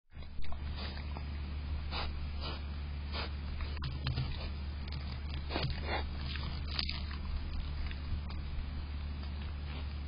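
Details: Javelina close up on a patio at night, 25 July 2022 around 1:41 am: short breathy snorts and sniffing huffs at irregular intervals, each a brief broadband burst, over a steady low electrical hum.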